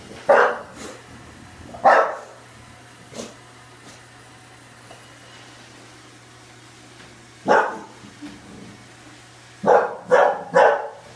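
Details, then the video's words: Oliver the bulldog barks at a Roomba: two barks early, a lone bark midway, then a rapid burst of three at the end, over a constant low droning hum. "Bulldog versus Roomba"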